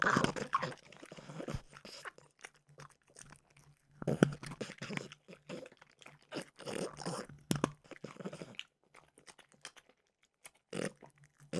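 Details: Frenchie Mimosa munching peanut butter flavored dog treats at close range: loud crunching at the start, then steady rhythmic grinding and crackling chews, a quiet lull, and a few last isolated bites.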